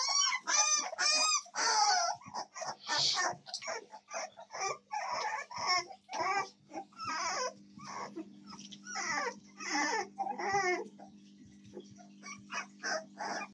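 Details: American Staffordshire Terrier puppies, 7 May 2024: a chorus of thin squeals and whimpers, starting with sharp rising-falling cries, then irregular short whines, with a steady background hum.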